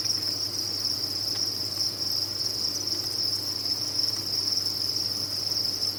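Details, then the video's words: Massed crickets on a cricket farm keep up a steady, piercing high trill without pauses, with a quiet background hum beneath the chorus. "Sound of a Cricket Farm"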